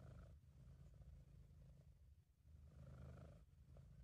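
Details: Sabu, a British Shorthair, purrs in a happy, relaxed mood in an amateur home recording. A continuous low rumble rises and falls gently with breathing and softens briefly at mid-clip.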